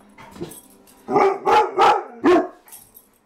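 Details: Household Mastiff and Husky reacting to a stray dog that ran past the front door. Four loud barks in a quick run after a soft opening yip, then quiet.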